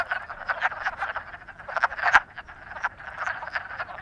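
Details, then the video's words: Frogs in love croaking: a busy, continuous chorus of rapid rasping pulses, one sharp click-like note standing out near the middle. "Frogs in Love"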